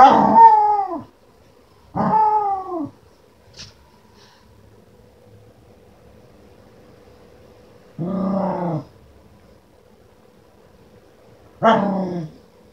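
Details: Playful Keeshond dog vocalizing in rich, harmonic howl-like moans, four bursts each under a second long, spaced irregularly with quiet gaps between them.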